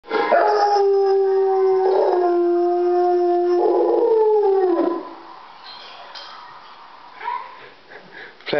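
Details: Three-year-old Rhodesian Ridgeback and Rottweiler cross howling along to an ice cream van's tune: long, steady, tonal howls that slide and shift pitch for about five seconds, then quieter background sounds.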